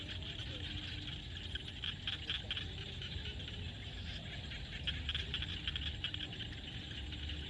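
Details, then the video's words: Frogs calling in a field at sunset in Cambodia: a dense, continuous chorus of rapid crackling and rattling notes, with brief louder bursts, over a steady low rumble of background noise. "SUNSET with Frog sound at the field"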